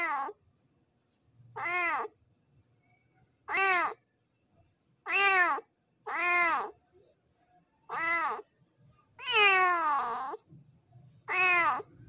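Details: Tomcat giving a mating call toward a female cat in heat: about eight loud, rich meows spaced irregularly one to two seconds apart, one longer and rougher near the end.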